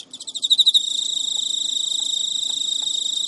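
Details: Courting male Emma field cricket kept as a pet in Japan, midnight, early September 2011, his female not yet willing to mate; opens with about eight loud, evenly spaced pulses that merge into a continuous shrill trill.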